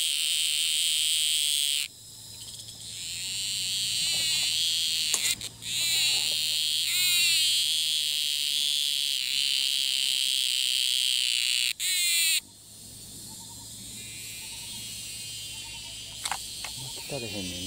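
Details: Cicada in Thailand, filmed from afar, that keeps calling even as it repeatedly flies off and changes perch; loud harmonic buzzing tones break off abruptly and restart, with short gaps and a faint rasping, rapidly repeated texture.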